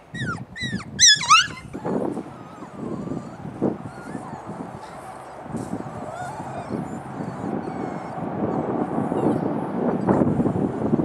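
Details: Puppies recorded on a date given as 03052013: a quick burst of high, rising, whimpering yips packed into the first second and a half, then a long stretch of broad rustling, muffled background noise with scattered faint squeaks.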